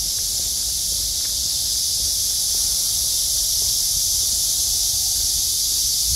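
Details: Cicadas sing a steady, hissing, high-pitched drone that never pauses, on a blue-sky midsummer day in August, just after heavy downpours.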